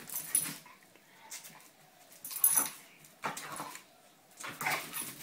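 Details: Two playing dogs named Roxy and Sofie make four or five breathy, noisy snorts and huffs spaced about a second apart, each a short broad burst.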